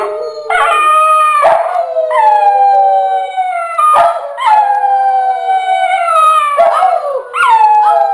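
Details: Millie and Maddie, two pet dogs, howl in a duet, each long tone starting high with a quick rise then sagging slowly, new howls starting roughly every one to two seconds.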